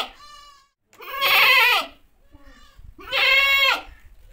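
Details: Goat (Capra hircus), bleat: mother calling her kid.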